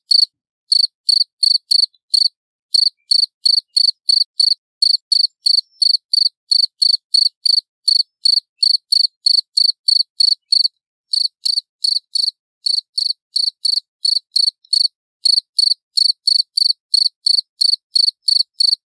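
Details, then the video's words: Loud, clear cricket chirps, a steady train of short pulsed notes roughly three per second, broken by a few brief gaps, with nothing else audible behind them. "Suara Jangkrik Jernih Keras"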